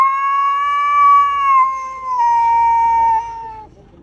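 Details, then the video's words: Domestic cat wanting to fight, giving a long drawn-out yowl, a steady moaning tone that holds for over three seconds, sags slightly in pitch toward the end and then stops. "This cat wants to fight over time arguing"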